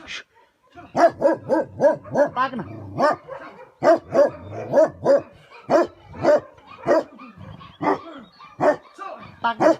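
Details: A Tibetan Mastiff, livestock guardian breed called Bhote Kukur in Nepal, barks rapidly and repeatedly, roughly every half second, producing about fifteen deep, ringing barks in an uneven series.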